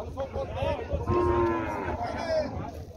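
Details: Water buffalo from a family of buffaloes at the Tabira cattle fair: a drawn-out tonal moo swells and holds for about half a second, with shorter lowing notes around it, over men's voices and fairground chatter.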